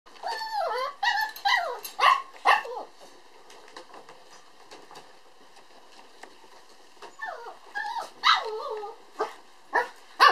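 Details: Red male puppy born on 22 December, giving bursts of high, wavering whines and short yelps that bend up and down, several in quick succession, then a quiet gap before more squeaky cries resume.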